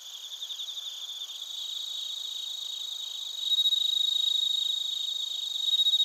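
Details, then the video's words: Suzumushi bell crickets and koorogi crickets calling in Narita, Chiba, Japan, captured with a TASCAM Portacapture X8. Quick, even pulsed chirps grow louder midway, and a clear ringing tone enters after three and a half seconds over a steady high insect drone. "スズムシとコオロギの鳴き声 - Chirping of crickets"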